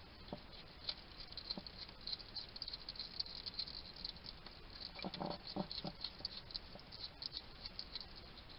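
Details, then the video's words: Hedgehog chatting to himself as he feeds in a little garden in Somerset, UK: sparse dry ticks for several seconds, then a denser cluster of munching crunches around the five-to-six-second mark, with steady faint background hiss. "Ever wonder what a hedgehog sounds like? This little guy chatting to himself while he eats."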